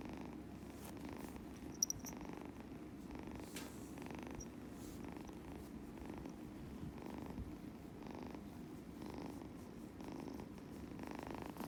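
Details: Purring from a Scottish Fold kitten as it is stroked, a soft continuous rumble rising and falling with its breathing about every 0.8 seconds, with one brief click near the start.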